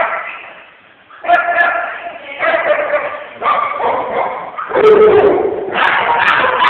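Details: Puppies at Puppy Playgroup at Pawsitive Paws Academy in Cedar Rapids, Iowa, among them Charlie, a roughly 7-month-old Husky/Shepherd mix adopted from a shelter, playing together; irregular bursts of barking and yipping overlap with people talking indoors.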